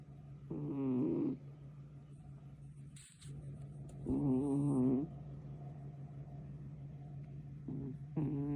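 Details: Young cat asleep and snoring, its grating, buzzy breaths arriving in slow bursts about every three to four seconds, each slightly wavering, against a constant low electrical hum and a brief higher hiss near the middle.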